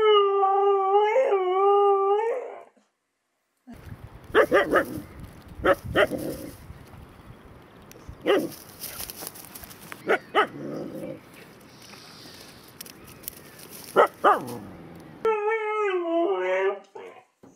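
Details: Female Siberian Husky from Sweden howling: a wavering, tonal howl of about two and a half seconds, then a noisy stretch of clattering and sharp knocks, ending with another undulating howl.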